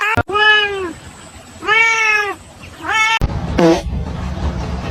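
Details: Domestic cat meowing three times, long arched harmonic meows about a second each spaced roughly a second apart, followed by a short squeaky cry; people talking and laughing nearby in a noisy room.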